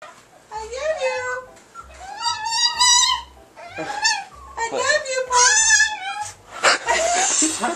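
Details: A Chihuahua known as a talking dog producing its 'I love you' vocalizations: several short, sliding, whiny tonal phrases with rich harmonics, rising then falling, separated by brief pauses, with a person's voice also repeating 'I love you'.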